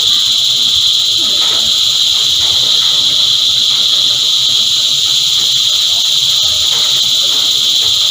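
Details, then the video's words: Cicadas chorus in a constant shrill, hissing drone, level and unchanging, with faint low sounds in the background. "Energizing Cicada Choir"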